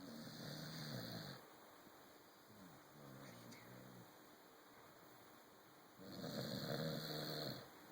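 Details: Corgi dog asleep on a sofa indoors, snoring; two long raspy snores with harmonic rumble at start and end, a quieter wavering breath between, low room hum.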